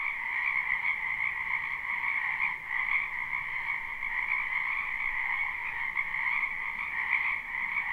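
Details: Croaking frogs in a spring wetland behind a house, recorded live: a steady, even chorus of many overlapping trilling calls, slightly softer and more distant, with faint low background hiss.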